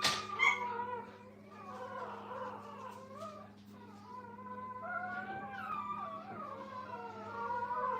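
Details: Brittany puppies with their mother Minnie in a kennel; after a sharp opening yelp, long drawn-out wavering whines carry on, thin and plaintive, with a low hum throughout.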